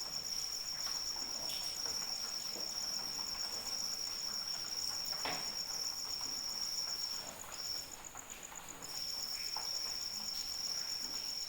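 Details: Cricket calling in rain: a high, even trill runs unbroken, stops for about a second and a half near the seven-second mark, then resumes. Soft rain and occasional heavy drops continue beneath.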